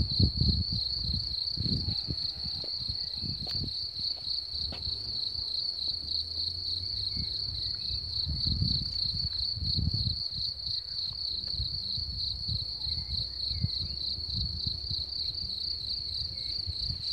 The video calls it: Crickets/Сверчки/Sounds/Звуки